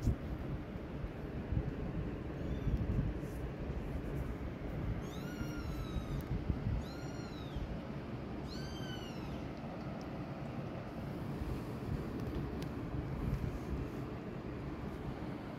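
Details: Around a mother cat that leaves her hidden kittens to stay safe: a faint early cry, then a cluster of three or four clear, arching meows in quick succession, set against continuous low rumbling noise.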